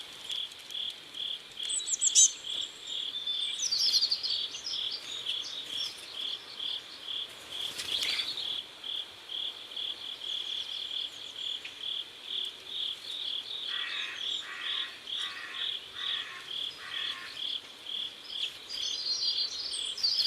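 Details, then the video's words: Sunset by a river in South Korea, with crickets giving a continuous high, rhythmic chirp roughly twice a second; scattered high twitters come early, and a series of four lower buzzy pulses appears near the end. "Sound of Crickets"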